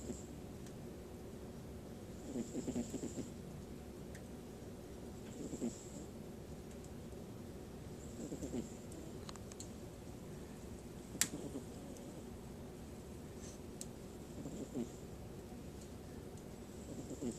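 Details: Sleeping cat snoring: soft, breathy low rasps repeating roughly every three seconds beneath a constant hiss, with a few faint clicks.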